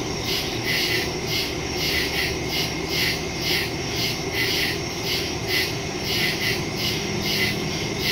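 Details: Woods at night full of crickets, September 2, 2023, Samsung Galaxy S22 Ultra phone and Shure MV88+ stereo microphone; a high, buzzing chorus throbs in regular pulses for eight seconds above a faint low rumble.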